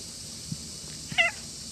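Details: Friendly stray cat at a shrine in the evening gives a single brief, clear meow near the end after two soft taps, against a steady low outdoor hiss.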